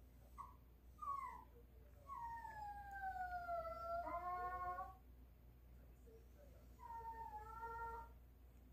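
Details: Pet dog begging for meat in the morning with high, piping whines: short rising yelps, then a long tone sliding gently downward for about three seconds, later a shorter wavering cry, over a low steady indoor hum.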